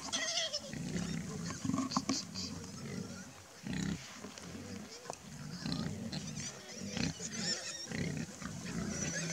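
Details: A hungry family of wild boar gives low, rough grunts and snorts in uneven bursts, with a voice nearby.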